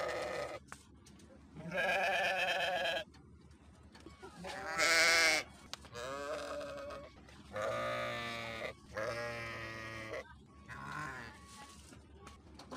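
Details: Several sheep bleats overlap and alternate: rich, quavering calls about a second long, one sharper and higher, the rest lower, with a faint background murmur between them.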